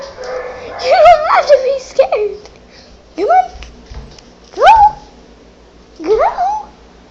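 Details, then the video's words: Female dog inside a house, reacting fearfully to recorded barking played on an iPad, makes four or five separate upward-sweeping whining yelps about a second apart, with a woman's voice in between. "Weird dog noises"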